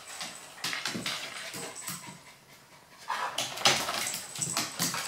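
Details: Three dogs play roughly together: a one-year-old male Maltese, a two-year-old female Golden Retriever and a seven-year-old female Husky-German Shepherd mix. Quick breathy panting puffs come in uneven bursts, with scuffling and louder rasping breaths in the second half.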